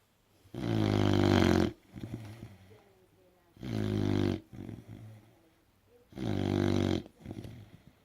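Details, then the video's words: American bulldog named Puddle snoring loudly and comically: three long, deep, rumbling snores of about a second each, roughly every two and a half seconds, with softer snuffling breaths between them. "Hilarious and LOUD American bulldog "Puddle" snoring"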